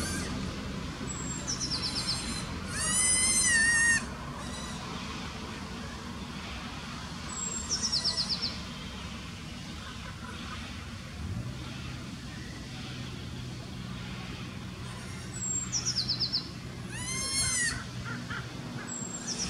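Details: Recently born Alpine ibex kid calling for its mother at Wildnispark Zürich Langenberg, Switzerland, on 17 May 2016; one loud wavering bleat early, a fainter one near the end, with repeated descending bird trills between.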